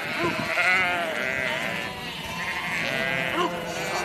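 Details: A herd of hundreds of sheep bleats together in a steady chorus of wavering, overlapping nasal calls, gathered around a shed while shepherds and herding dogs work the flock.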